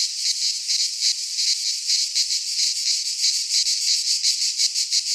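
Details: Midsummer chorus of cicadas in a pine forest in Greece, a high, rasping drone throbbing in quick regular surges, about three pulses a second, with a faint low rumble underneath.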